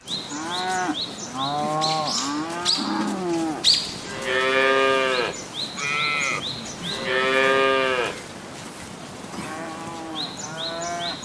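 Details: Dozens of tame cattle leaping nimbly down a mountain slope; several drawn-out, harmonic moos rise and fall in low and mid pitch, some overlapping, with repeated high bird chirps running through the background.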